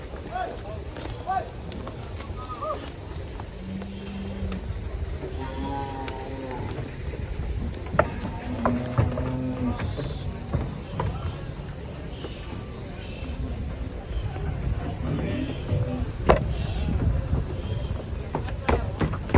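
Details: Raging cattle coming down from a truck: a low, steady moo near the middle, then shorter lowing calls, over constant crowd chatter, engine rumble and background music.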